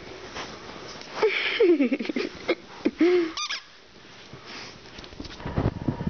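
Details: Flower, an 11-month-old female Rhodesian Ridgeback, playing indoors with her tennis ball: a few short whining grumbles sliding downward, then a brief curved moan, with soft rustles and thumps around them.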